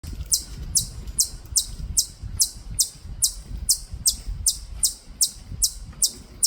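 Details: Korean native chipmunk at Bulguksa in Gyeongju, Korea, giving sharp high chips about two and a half times per second in a steady series, with faint low background rumble.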